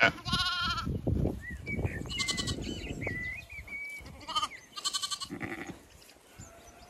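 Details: Zwartbles sheep of the main flock in County Kilkenny, Ireland, moving to a field for cool late-afternoon grazing; loud quavering bleats open and recur, separated by rustling and chirped bird notes.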